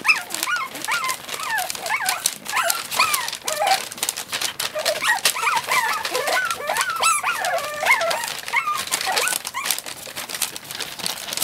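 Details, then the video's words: A noisy 26-day-old puppy whimpering indoors while cuddling with two dogs: a busy run of short, high, wavering squeaks and whines, rising and falling quickly, nearly continuous, with soft rustling and shuffling throughout. "noisy pup 26 days"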